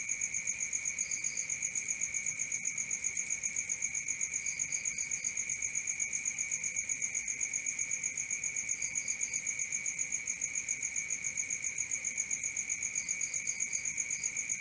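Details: Cricket at night keeps up a shrill, evenly pulsed trill around four beats per second, while faint short bursts of three or four higher chirps recur every few seconds.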